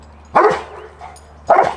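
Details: Cane Corso barking on command during day 3 of training, facing forward rather than at the handler; two short deep barks about a second apart over low background hum, closing a session that fell short of three to five barks.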